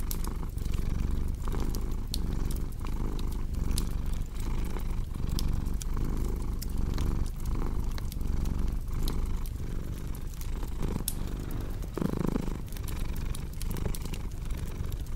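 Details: A domestic cat purring steadily in low rumbling cycles, each breath lasting under a second, layered with the sharp snaps and pops of a crackling fireplace.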